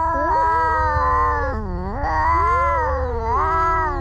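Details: Two cats in a fight give a continuous moaning yowl that dips sharply in the middle and then climbs back, with overlapping wavering tones over a low background hum.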